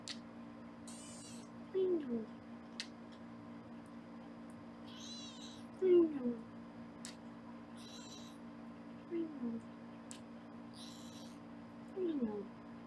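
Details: Foster kittens indoors on a live Los Angeles kitten cam during weighing. Soft, short falling meows come every three to four seconds under a steady electrical hum, with scattered high rustling bursts.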